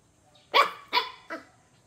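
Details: Chow Chow dog barking three times, sharp loud barks about 0.4 seconds apart with the last one softer, in a quiet setting.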